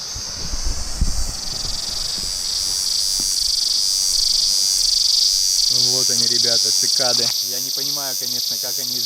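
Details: Hundreds of small cicadas on a seaside tree on Emerald Island near Pattaya, Thailand, give a loud, steady, high-pitched buzz without a break, with surf behind and a man talking.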